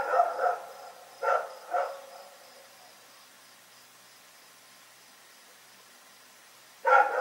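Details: Night barking from Rex the dog, four quick loud barks in two pairs at the opening, then several seconds of silence before one more bark at the close.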